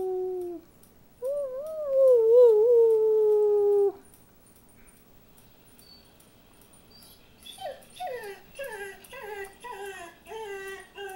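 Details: Dogs rooing in response to their mother, a long wavering tonal howl near the start, then after a pause a rapid series of short falling yelping roos repeated about three times per second.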